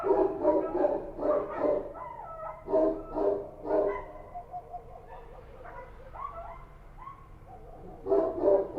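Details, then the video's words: Night-time Kabul street dogs, named as Kochi dogs, give clustered rough barks, then a quieter stretch with distant yelps and whining calls before loud barking resumes at the end. "Street dogs barking at night | Kabul | Sound Effect | Kochi Dog"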